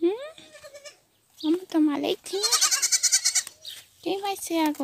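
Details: Goat kids rejected by their mothers, being bottle-fed; shaky rising bleats come in short bursts, one long quavering cry in the middle, with a person's voice mixed in among the calls.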